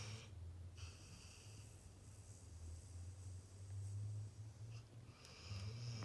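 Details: Sleeping pit bull snoring: deep, low rumbling snores swelling and fading in drawn-out breaths, with faint thin high-pitched tones coming and going in the background.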